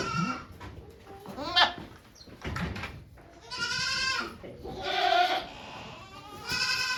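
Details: Goat at a farm in Japan, 3 May 2023, during a doe's delivery of two kids with volunteers present; repeated loud, quavering bleats, some long and drawn out, come in quick succession with faint background murmurs.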